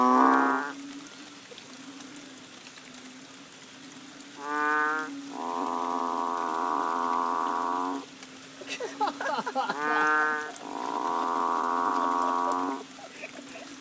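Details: Banded bullfrogs calling in the rains behind a bungalow on Koh Lanta, Thailand, in March: loud moo-like harmonic calls, each about two to three seconds long, with a short bright note leading into a longer droning bellow, repeated by a chorus.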